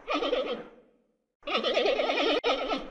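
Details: Quavering bleats from a panda: a half-second trembling call fades out, then after a quiet gap a long, strongly vibrating bleat with rapid regular wobbles runs over a second, followed by a short final burst.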